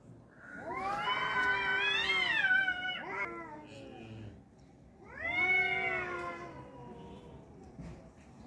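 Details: Two tomcats fighting, locked in a standoff of drawn-out, wailing yowls that swell and bend in pitch, two long howling bouts a few seconds apart with quieter grumbling between, set in a small indoor space.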